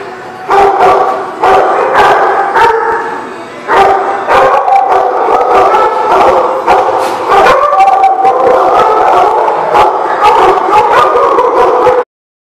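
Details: Dog howling in a loud, sustained, wavering chorus, long drawn tones held for several seconds with breaks, mixed with sharp barks and yips throughout.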